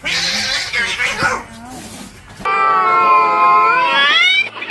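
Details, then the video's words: Cats fighting for territory. The first half is a confused mix of lower voices and background music. Then comes a loud, drawn-out, harmonically rich yowl that wavers and slowly rises and falls for about two seconds before breaking off. "The sound of cats fighting for territory"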